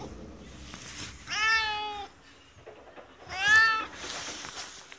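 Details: Resident cat of a ski shop in Hirafu Village, Hokkaido, Japan, making two clear, rich meows two seconds apart, the second louder and brighter, over quiet background hiss.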